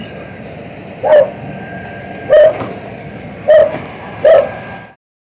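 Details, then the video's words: Domestic tomcat vocalising as he feeds: four brief, nasal, mid-pitched calls at uneven gaps of about one second, each sharp and clipped, then sudden silence at the end; low constant room hum underneath. "He is really noisy when he eats"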